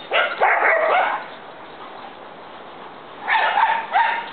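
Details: A big dog and a little dog at play make loud, bright, whining yelps and yips in two clusters, the first at the start and another after a quiet gap of about two seconds.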